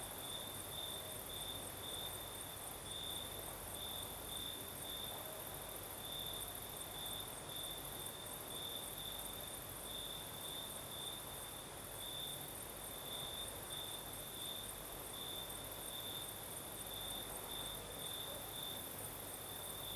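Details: Night chorus of crickets in the south of Crimea, steady and high-pitched with gently pulsing bursts, accompanied by a faint very high insect shrill and a low murmur of night breeze.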